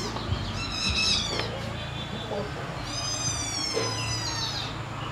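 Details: Fighting kittens give two long, high, wavering cries with rich overtones, each lasting about a second. A low background hum runs throughout.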